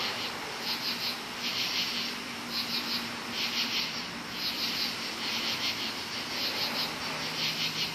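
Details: Many crickets calling loudly in woods at night, high pulsed trills surging about every second above a steady insect drone, with a faint low hum beneath.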